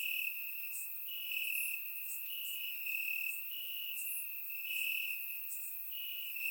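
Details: Crickets in grass at night during a warm Bulgarian summer, surround-microphone recording: constant piercing trill plus intermittent bright chirp bursts from several insects, loudness rising and falling gently.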